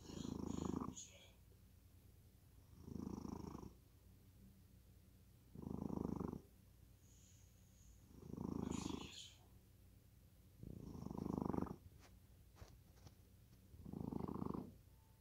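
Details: Sleeping cat deep in slumber, soft rasping snore breaths, six in a row spaced about every two and a half seconds, quiet room between breaths.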